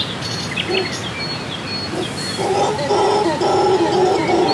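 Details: In the Costa Rican rainforest, heard on waking while camping, howler monkeys start a deep, throaty, rasping roar halfway through that swells and holds, with small birds chirping and whistling high in the background.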